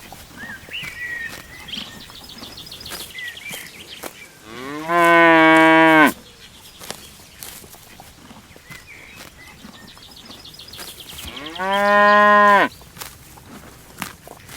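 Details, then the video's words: Cows grazing in a peaceful countryside field give two loud, steady harmonic moos about seven seconds apart, each lasting over a second, against a faint backdrop of bird chirps. "Scene of cows grazing in the countryside - Cow sound"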